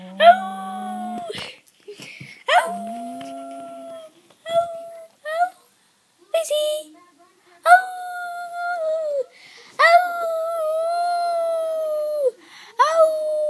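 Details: Pet dog vocalizing in a talking-like way, said to sound like "Ralph", indoors; repeated tonal howling whines of one to two seconds each, interspersed with a person's speech.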